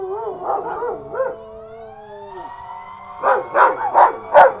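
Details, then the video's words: Belgian Malinois pair Herc and Frey join a siren: warbling, wobbling howls at first, then a pause while the siren tone slides, ending in four loud, evenly spaced yelping cries. "Belgian Malinois howl with sirens"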